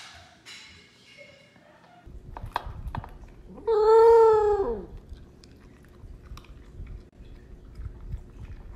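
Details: Willo, a Pembroke Welsh Corgi from Phoenix, Arizona, who has howled while eating since about four months old, gives an "awoo" mid-meal: one clear, steady howl just over a second long that falls away at the end, amid crunching kibble.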